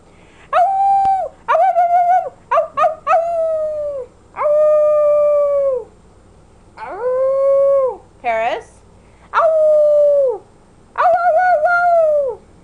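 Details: Female puppy of almost 11 months howling along as she mimics her owner's howl: a series of steady, tonal howls, each lasting one to two seconds with short gaps, one wavering and dipping in pitch partway through.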